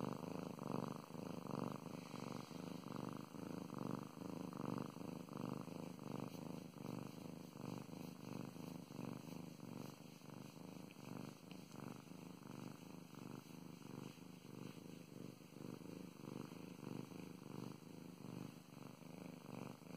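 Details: A female pet cat purring steadily while being stroked, a low continuous rumble pulsing in quick regular beats, loud and close, with faint rustling from the petting hand.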